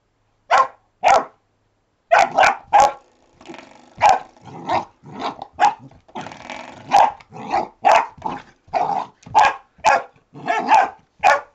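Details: Alfie, a retriever pup, barks repeatedly at a door stop he has just discovered, a long run of short yappy barks roughly once a second, some with growly edges between them, in a quiet room.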